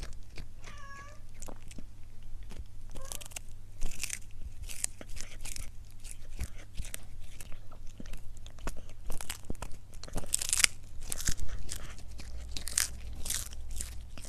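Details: Cat eating indoors: steady crunching and biting clicks for over fourteen seconds, with a couple of short wavering whiny squeaks early on and a constant low room hum.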